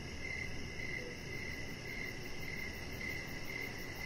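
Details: On a deck in the evening with a chihuahua puppy present, crickets give bright high chirps in a regular rhythm, about two per second, over soft broadband background noise and a low drone.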